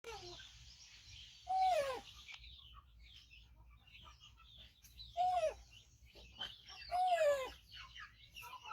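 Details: Five-month-old rescued baby monkey, missing one foot from a trap injury, calling loudly while waiting for its carer to feed it: three loud arched calls, each rising then falling, with softer chirpy squeaks between.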